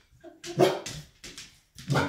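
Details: A 1.5-year-old Golden Retriever indoors barks in three rough, full-throated, clipped bursts under a second apart at a rocking horse that frightens him; a person's voice is heard briefly before the barking.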